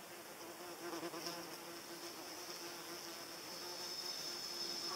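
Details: Paper wasp in flight: a low droning buzz with stacked harmonics swells around the first second and then fades to a faint hum, under a steady high-pitched insect whine and hiss.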